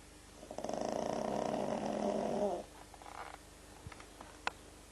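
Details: Sleeping pug named Frank gives a long, buzzy, rattling snore of about two seconds, followed by soft breathing and a few small clicks and taps.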